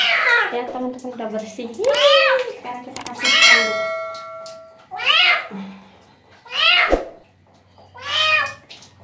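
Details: During its first bath, a street cat being carefully washed lets out about six loud, harmonic meows, some rising then falling, spaced every second or two, with a long wavering cry around the middle and quiet handling noises between.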